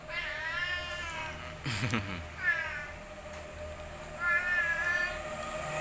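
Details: Boy, an orange village cat kept as a pet in Indonesia, meows repeatedly, with three long drawn-out meows spread across the clip and a short sharp knock near the middle.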